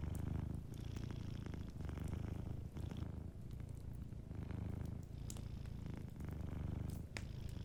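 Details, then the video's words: Gently purring cat asleep near a crackling fireplace; the deep rumble comes in regular breathing-paced swells roughly every second or so, overlaid with intermittent snaps and ticks from the fire. "a Sleeping Cat 🐱💤Fireplace & Soft Purring"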